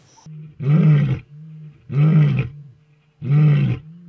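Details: Lions, old and young, give three deep, rumbling roars, each about half a second long and evenly spaced, over a constant low droning hum.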